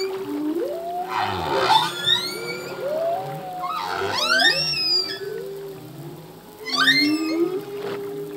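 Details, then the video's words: Full-length humpback whale song sung by a male: sweeping high whistles and squeals that cascade downward in quick glides, set against low grunting moans, three bright bursts within about eight seconds, reverberant sea backdrop. "Whale song - full length humpback whale song"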